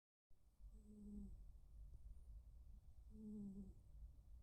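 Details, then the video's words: Two male rescued tuxedo cats, Kuu and Blue, snoring indoors: two soft, low humming snores about two seconds apart, each holding a steady pitch with a faint overtone, over a quiet room hum. "snoring of my boys, Kuu & Blue.空とBlueのイビキ"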